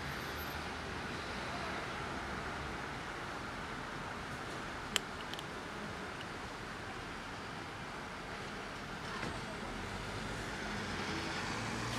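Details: Continuous road traffic rumbles throughout, with a brief click and a faint distant voice. No meows or other animal calls can be picked out.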